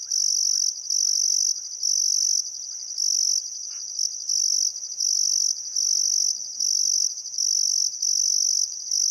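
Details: Sunset chorus of crickets by the Barcoo River in Welford National Park, Queensland outback, in summer: sustained piercing high-pitched trilling in long bursts with short gaps, soft scattered birdcalls in the background.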